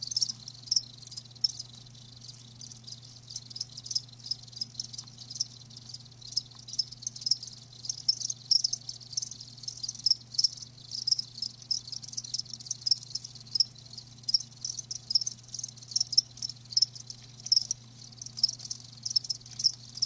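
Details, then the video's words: Live crickets in a natural-sound recording, a dense chorus of high, rapid chirps pulsing continuously, with a low steady hum underneath. "Live Crickets 60min "Natural Sound""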